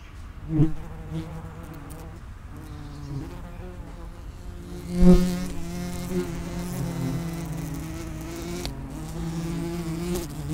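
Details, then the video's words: Wing buzz of common wasps at an underground nest entrance, several insects droning together; a louder buzz swells near half a second and again around five seconds as a wasp passes close, then steady overlapping humming. "Vespula vulgaris (common wasp) nest entrance"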